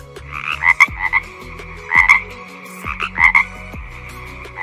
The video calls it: Frog ! Croak! Croak! 👌Beauty of Nature l👍Don't forget to subscribe 😊✌